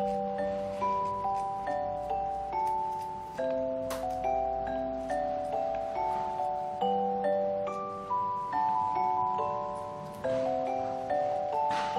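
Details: Gentle glockenspiel and xylophone melody of chiming, ringing notes over a soft low hum, with no animal calls present.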